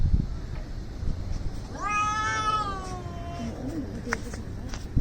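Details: Angry cats facing off in a fight: a single long, harmonically rich yowl that rises then slowly sinks over about two seconds, followed by softer low growling and faint background noise.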